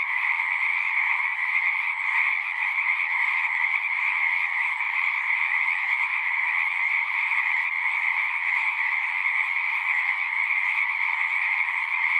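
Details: A natural frog chorus of many voices trilling at once, producing an even, high-pitched buzzing band over a slightly lower one, constant in volume with faint flickers of individual callers.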